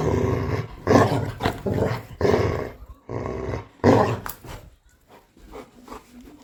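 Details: Labrador Retriever kept as a pet, growling menacingly indoors while its owner tells it not to bite her hand; harsh, throaty growls in roughly one-second pulses, fading into quieter rumbles near the end.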